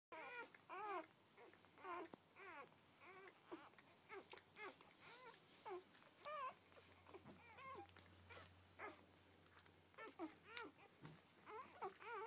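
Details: Newborn Rhodesian Ridgeback puppies from a first litter of twelve, squealing and whimpering indoors in a steady stream of short, arched, rising-falling cries overlapping one another, with a faint low hum beneath.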